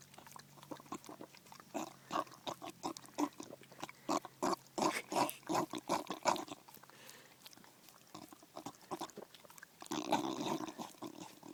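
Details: Bulldog Daisy gets noisy over her first ice cream cone, with a dense run of wet grunting snorts and chewing smacks that then fade. A louder, rougher snuffling burst comes near the end in a small indoor space.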